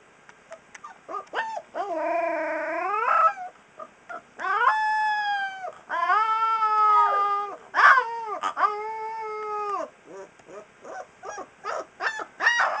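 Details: Three-week-old Alaskan Malamute puppy singing: a series of thin, high, wavering howls and drawn-out whines, some rising then falling, separated by short yips and squeaks, in quiet surroundings.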